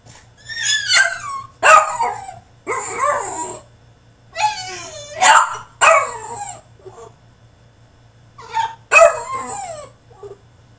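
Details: Caged French Bulldog throwing a tantrum, letting out a rapid run of harsh barks and wailing whines in bursts about a second long, with a brief pause before a final pair of outbursts.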